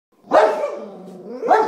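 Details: English Springer Spaniel indoors barking at a sponge on a table, taking it for something very bad: two loud, harsh barks about a second apart, the first followed by a drawn-out, whining tail.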